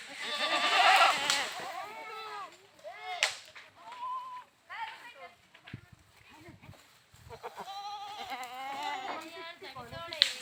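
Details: Several goats bleating in overlapping bursts, each bleat a wavering, quavering cry; a loud cluster comes first, then scattered calls and a final bleat near the end.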